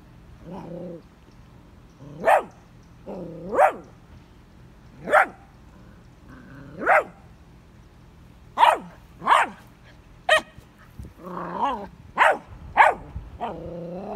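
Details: Vizsla puppy Scout barking at a red ball, his first, placed in his digging spot: loud sharp barks every second or two, some paired, mixed with short whining rises, about a dozen in all.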